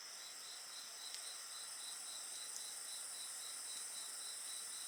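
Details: Several insects singing by a bonfire, pulsed high chirps repeating about three to four per second above a continuous shrill buzz, with occasional light crackles.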